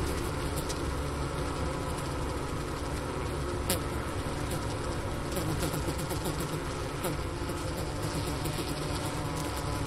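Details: Bees clustered in a winter hive at the Ohio State University Wooster campus on January 16, 2024, near 4 PM with 15°F outside, recorder placed by the inner-cover hole and sugar-brick remains. Constant low buzz, with a few faint sharp clicks.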